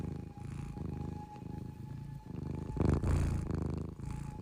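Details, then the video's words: A cat snores in its sleep: grainy, low pulsed rumbles in short breaths, one louder, rougher surge near the end, and a faint constant whine underneath. "cute cat sleeping snoring"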